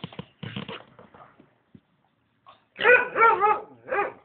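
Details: American Staffordshire Terrier giving three loud, tonal barks in quick succession, then a fourth after a short pause, following quiet Hungarian speech at the start.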